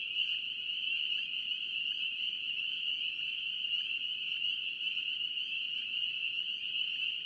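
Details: Spring peepers, North Carolina, heard as a massed nighttime-style chorus: a continuous shrill ringing of overlapping high peeps, steady in loudness, over a quiet low hiss.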